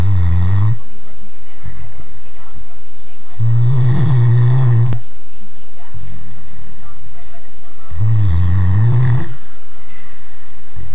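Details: A three-year-old Great Dane snoring: deep, rumbling low snores, each about a second long, coming in three drawn-out breaths spaced roughly four seconds apart, with a rough, buzzy texture and nothing else audible.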